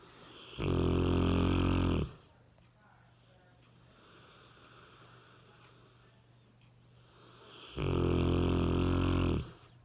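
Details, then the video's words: A 60 kg Cane Corso named Ram sleeps soundly and snores: a heavy, rasping intake of breath at the start and another about six seconds later, with soft low hum between. "Собака породы Кане-Корсо храпит!"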